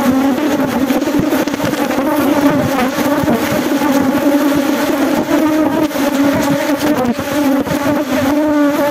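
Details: Honey bees during a honey harvest at Glodok: a dense, steady low hum with a strong drone band and stacked overtones that holds unbroken for the whole stretch, with no other clear sounds.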